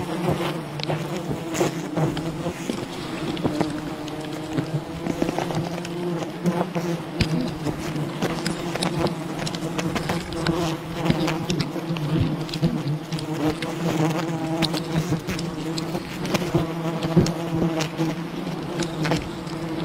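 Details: Wild bee colony disturbed during honey hunting: a dense, steady low drone of many wings, layered and unbroken, with scattered sharp clicks and crackles throughout.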